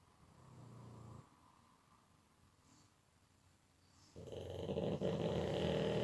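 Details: Pug in deep sleep: a soft low rumbling snore, a quiet pause of about three seconds, then a loud harsh rattling snore building to the end.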